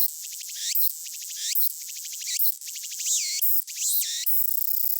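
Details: Walker's cicada (tsukutsukuboshi) singing, slowed down: high buzzy bursts of rapid pulses in repeated phrases, each ending in a longer sweeping note. Afterwards it flings away an ant that bit it.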